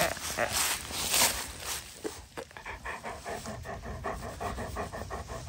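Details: Female Great Pyrenees puppy, born August 2022, worn out after a game of tag; bursts of rustling and handling noise first, then steady, rapid, breathy panting continuing to the end.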